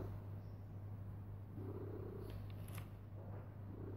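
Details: Loud purring from a cat stretched out lying down: a continuous deep drone with soft rhythmic surges marking each breath, plus a few faint light clicks in the background.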